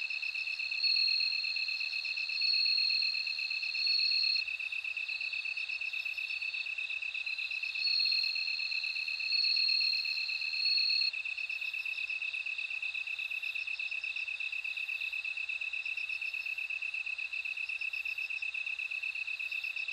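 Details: Bell cricket song: bright, high tinkling trills in bursts roughly every one and a half seconds for the first eleven seconds, over a steady, lower continuous insect drone. No other sounds.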